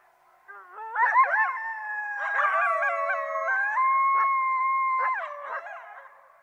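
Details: Coyotes howling together, several wavering voices overlapping, with rising and falling sustained howls broken by short yipping warbles; clear, quiet background.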